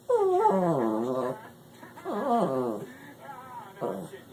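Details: Pet dog Trixie going crazy in reaction to a cat sound: three bursts of wavering, howling whines rich in harmonics, the first long and sliding down before wobbling, the later two shorter, with quiet gaps between.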